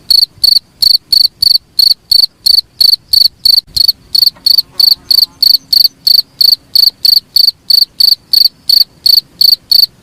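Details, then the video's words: Cricket sound used to train songbirds: a long run of shrill, ringing chirps about three per second, steady and loud, with a faint hum and a brief low knock in the background. "suara jangkrik paling bagus sangat cocok untuk master burung kicau"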